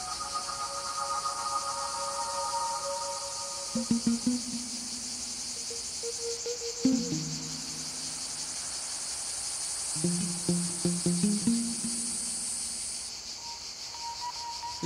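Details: A male cicada in the hot Provençal scrub of southern France during a summer heatwave gives a high, steady buzzing song, a mating call to females sung all day, over soft background music.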